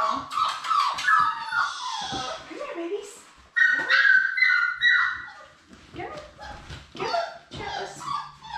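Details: Four Labrador Retriever puppies born March 11, 2021, playing in their indoor play room give sharp yelps, small barks and high whimpers in quick bursts, with a brief rustling crash and human voices in the background.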